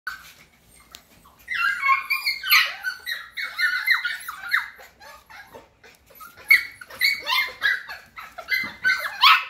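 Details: Cockapoo puppies, an F1 cross of a Cocker Spaniel mother and a miniature poodle father, making a dense chorus of high, overlapping squealing whimpers that begin after a short quiet start and continue in bursts, with several voices at once.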